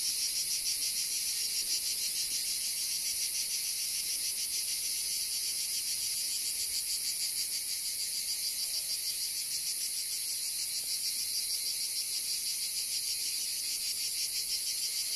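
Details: Cicada chorus at Kastanies, Greece, on 21 October 2023: dense, steady, high-pitched droning with a rapid rhythmic pulse of roughly three beats a second, unbroken throughout and with no other clear sounds.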